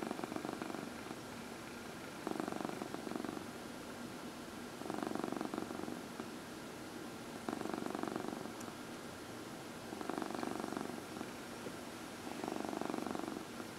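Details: Domestic cat purring while being massaged, one of four cats indoors; rumbling purr comes in bursts of about a second, pausing between breaths, roughly every two and a half seconds, with a faint steady hum behind.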